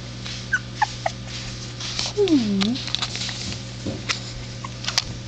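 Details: Three-week-old puppies: a single short whine that dips downward and then turns up again, with faint harmonics above it. A few soft clicks and a steady low electrical hum run underneath.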